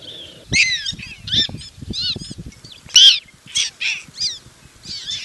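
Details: Prairie dog pups in Golden, Colorado learning the jump-yip call, which probably signals all is clear. Bursts of sharp, high, rising-falling yips come every half second or so, with soft low thumps between them.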